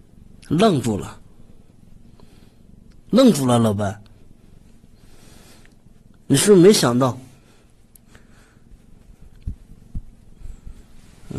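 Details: Domestic cat indoors, giving three drawn-out meows about three seconds apart, each sliding up then down in pitch, with quiet room noise between them and a few faint clicks near the end.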